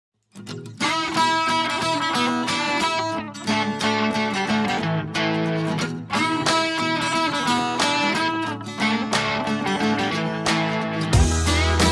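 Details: Strummed guitar music plays continuously with steady chords, and no animal sounds are heard.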